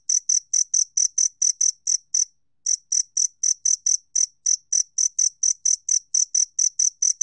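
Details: Two-spotted cricket, recorded in 2020 by Korea's National Institute of Biological Resources, gives rapid shrill chirps in a steady train, broken by one short pause near the middle, with silence behind.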